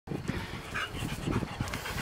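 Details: Red Standard Poodle being groomed, panting in quick ragged breaths through the whole stretch, with a brief higher whine near the middle; no other voices.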